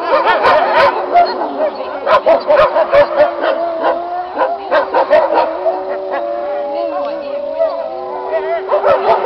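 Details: Wolves in a pack howl together, a dense mix of long sliding howls, quavering higher voices and frequent short barking yips, staying loud and busy throughout.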